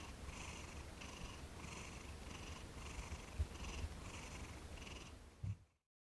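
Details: Thomas, a cat receiving his first massage on December 6, 2021, after 18 days with his keeper, purrs in a steady low rumble pulsing in rhythmic breaths roughly every half second, cutting off abruptly just before six seconds.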